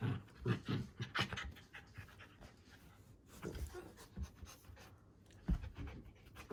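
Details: White Shiba Inu named Haru, indoors and in the mood to play with her older sister, panting in quick, irregular breathy bursts with soft thumps and rustling.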